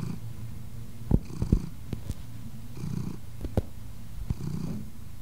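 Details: A black-and-white male domestic shorthair cat purrs steadily while kneading, a low rumbling vibration that rises and falls with each breath.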